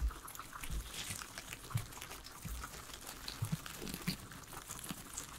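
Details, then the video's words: Three pet guinea pigs munching their vegetable salad indoors, a steady run of soft crunches and crinkly bites with low thumps, no music or talking. "asmr guinea pigs eating veggies"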